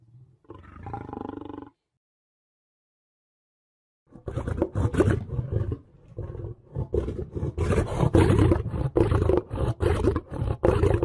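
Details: Lion giving a short low roar, then after a silent pause a long stretch of gruff, pulsing, harsh growl-roars repeated in quick succession.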